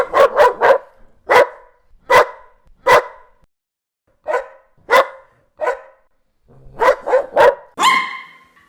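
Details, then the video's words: Dog barking from a mixed compilation of many breeds, big and small: sharp barks in uneven bursts, three fast ones, several spaced singles, another quick triple, ending in a higher drawn-out yelp. "51 Cachorros Latindo - Som de Latido de Cachorros Variados"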